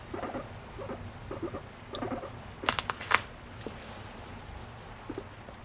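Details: Affectionate pet female guinea pig calling to her owner indoors: brief clusters of soft harmonic squeaks in the first two seconds, followed by sharp clicks and rustling handling noises.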